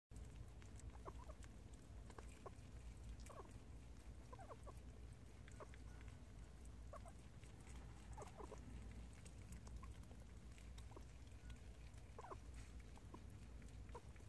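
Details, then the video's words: Prairie dog eating homemade treats, making soft, short squeaky chirps scattered irregularly through the clip, mixed with faint crisp clicks of chewing over a steady low background hum. "프레리독 소리내며 먹음"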